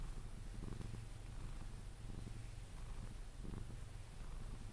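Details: Pepe, a pet Sphynx cat, purring while being cuddled until he falls asleep: a low, steady rumbling purr with soft swells of breathing roughly every one and a half seconds.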